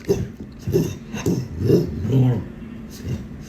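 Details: Mimosa, a male shelter dog returned three times, vocalizing indoors in a back-and-forth with a person about going to bed: a run of low, moaning, speech-like grumbles rising and falling, about five in three seconds.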